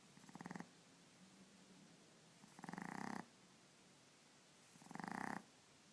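A Boston Terrier puppy snores in rough, rattling bursts, each lasting under a second, about every two seconds.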